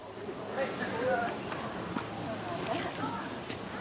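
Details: An eastern gray squirrel on a college campus with large deciduous trees gives a thin, high, drawn-out moan, its least common alarm call, said to be given mainly at aerial threats.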